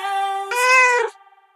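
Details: A cat resting in a washbasin meows: a steady tonal note swells into a louder, brighter wail for about half a second, then cuts off abruptly into quiet.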